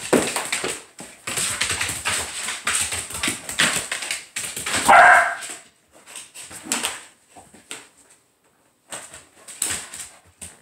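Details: Border Collie reacting while its home is being cleaned: bursts of short, harsh barks and yips, with one longer whining cry midway, broken by brief pauses over a constant high-pitched hum.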